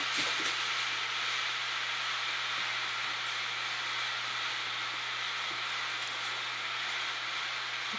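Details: Continuous broadband hiss with a low steady hum and a few faint clicks, like machinery or a passing train; no animal sounds.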